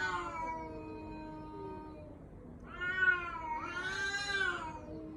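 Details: Cat whose cries are said to sound like a human baby: a fading drawn-out meow followed by two rising, bending wails close together, plaintive and harmonic, with a quiet background.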